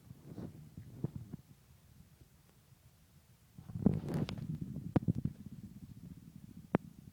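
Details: Meowzer, a male pet cat, gives aftershock sneezes after a violent minute-long sneezing fit: sharp, hissing bursts near four and five seconds and a single crisp snap near the end, over a quiet, low rumbling background.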